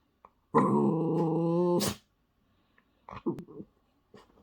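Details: Toy Terrier digging into a blanket and wanting attention: one long, loud, nasal whining groan lasting about one and a half seconds, followed by short grunts and rustling of the blanket.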